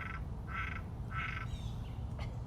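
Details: A frog in a hole at a big cat sanctuary gives short, nasal, buzzy croaks about every half second over low background rumble, on 13 August 2019.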